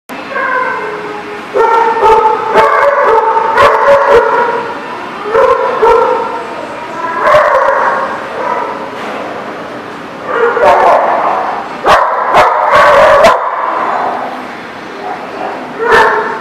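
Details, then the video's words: Many dogs barking together at a dog facility, overlapping short harmonic barks and yips in dense irregular bursts, some louder clusters, sharp clicks and knocks between them. "The Barking Lot"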